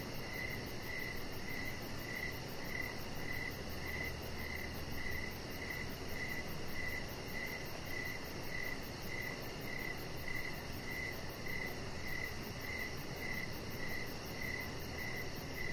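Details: Evening cricket chorus recorded outside by a deck with decoration lights on. Clear, even chirps come at a quick, regular beat of roughly two per second throughout, with a steady background hiss and a thin high-pitched tone.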